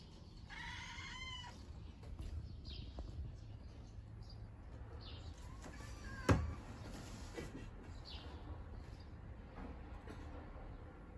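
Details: Domestic cat indoors while a girl eats pancakes, giving one short, rising-then-falling meow near the start, then quiet room noise with a single sharp knock partway through.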